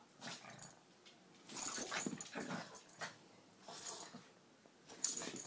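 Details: Cocoa, a Boston Terrier/Pug mix, playing wildly indoors after a rainy potty break: breathy snorting growls in rough bursts about every second, with scuffling and rustling noises between them.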